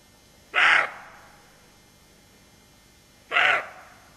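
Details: Roe deer doe on alert beside her fawn, giving two harsh, hoarse barks about three seconds apart, each short and raspy, with quiet background between them.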